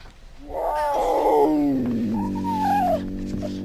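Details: Puma giving a drawn-out wavering yowl, sliding down then rising again, harmonic and nasal, lasting about three seconds.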